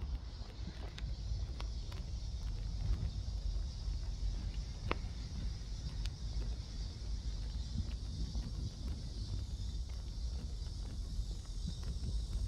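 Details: Cicadas in Seoul Innovation Park on 11 July around 11 am, heard on a midday walk: a steady, high, hissing drone runs unbroken beneath a heavy low rumble of wind and distant traffic, with scattered clicks.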